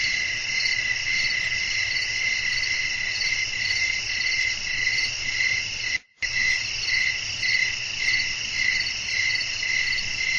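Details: Night-time crickets singing as wind blows, a continuous shrill pulsing chorus repeating nearly twice per second, broken by one brief total silence near the middle before resuming unchanged, with soft low background hum.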